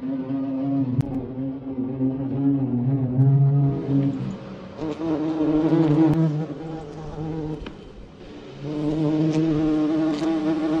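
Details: Asian hornet filmed in close-up: a steady low droning buzz rich in harmonics, continuous throughout, swelling and fading slightly as the insect moves, with a brief dip near the eighth second.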